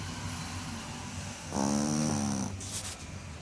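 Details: A Shih Tzu snores after its bath with a single low, buzzy, rattling breath over a steady indoor hum.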